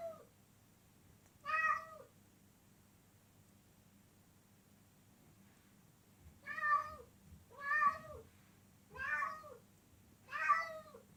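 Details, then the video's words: Loud cat meows, short arched calls that rise and drop. One comes early, then after a long pause four follow in quick succession about a second apart. Quiet background with a low hum. "Cats Meowing Loudly"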